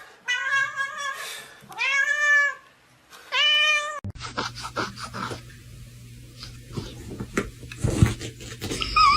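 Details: Talking domestic cat indoors producing three drawn-out harmonic meows with wavering, bending pitch, each about a second long, followed by a jumble of voices, clatter and background noise.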